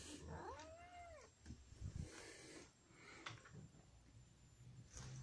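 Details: Pet cat waiting to be fed at dinner time: one rising-falling meow near the start, then quiet rustling and faint household noise, with a person urging the cats to eat their dinner.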